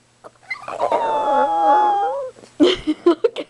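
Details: Chihuahua named Precious, a pet dog, demanding and excited as if channeling her inner wolf; a drawn-out, wavering howl holds for about a second and a half, then a run of short, clipped bursts follows.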